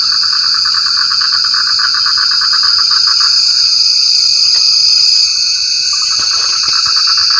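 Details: Frogs calling in the rain: fast, rattling pulse trains at mid pitch run for about three seconds, pause, then return near the end, all beneath a steady, high, ringing drone of insects.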